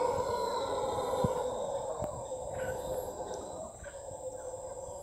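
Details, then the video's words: Costa Rican howler monkey voice recorded on a private property, a steady hoarse drone holding for seconds and slowly weakening, while scattered higher chirps and clicks from other creatures come and go. "Voice of the howler monkey in Costa Rica"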